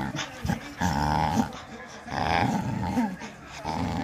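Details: Bull Terrier teasing to play during a game with a handle rope ball, giving long rumbling growls in three drawn-out bursts with short pauses between, throaty and steady; faint voices in the background.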